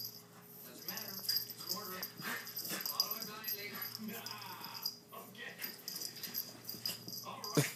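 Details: Two dogs, Chubbles and Cuteness, playing rough; a harmonic, wavering whine rises midway through, among scattered snuffles and huffs, with a person talking quietly and steady high hiss in the background.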